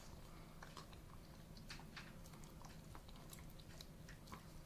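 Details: An Alaskan Malamute crunches and gnaws on a duck carcass, making sharp irregular cracking and chewing sounds; he eats calmly, with no food aggression.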